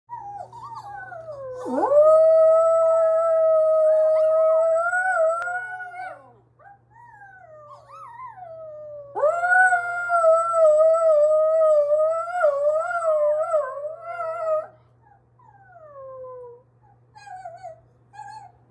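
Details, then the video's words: Pet dog howling in two long drawn-out bouts, each rising from a low scoop to a steady wavering tone, with a quieter trailing howl between and after; a constant low hum runs underneath. "My dog howls with himself"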